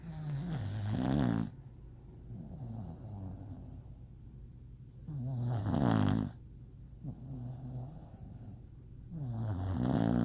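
An English Bulldog snores in loud, rumbling bursts with quieter wheezy breaths between.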